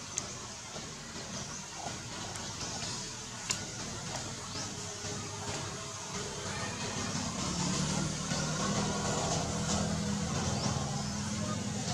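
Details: Steady broadband rumbling noise, like a vehicle or machine, fills the recording and swells toward the end. Faint murmuring sits underneath, but no clear animal voice stands out.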